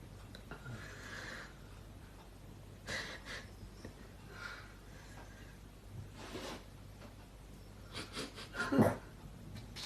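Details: A dog snoring indoors while being told to hush. Soft, breathy, rasping breaths come roughly every one and a half to two seconds, ending in a sharper, louder snort near the close.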